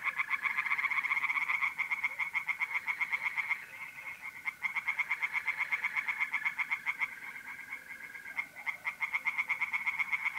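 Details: Dense, almost unbroken pulsed chorus of singing tree frogs in a pond by night, mid-April, north-east Italy, with short dips in volume. A faint, steady mole cricket trill sits beneath.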